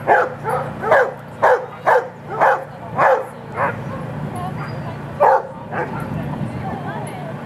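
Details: Female Rhodesian Ridgeback at a lure coursing open finals heat, barking in a quick series of seven loud barks about every half second, then quieter scattered barks, with crowd murmur and background noise.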